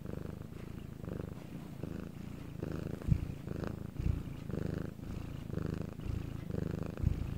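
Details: Night-time recording in Korea of the cat Bangul's purr, a deep, vibrating hum that comes in repeated breath-linked swells, interrupted by a few soft clicks and small movement noises.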